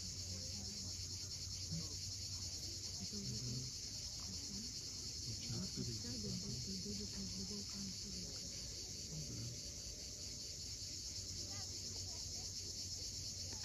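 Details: On the Crimean coast at Cape Fiolent at sunset, cicadas produce a sustained high buzzing drone; beneath it, waves rumble softly and small birds give brief chirping notes.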